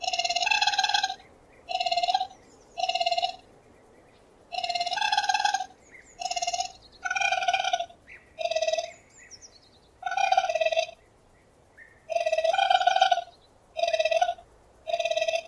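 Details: Long series of shaky, tremolo raccoon notes, rich in overtones and mostly under a second each, repeated irregularly with brief pauses and occasional soft chirps between them.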